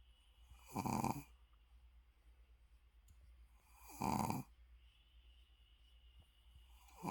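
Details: Shih Tzu dozing with open eyes lets out two strong rasping snores about three seconds apart, a third starting at the end, against a faint steady background hum.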